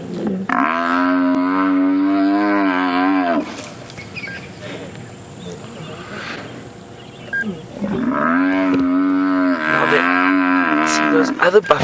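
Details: An African buffalo, held by a lioness while five lions try to pull it down on a sunrise drive on 8 November 2016, gives two long, loud, moaning bellows of about three seconds each, over quieter rumbling.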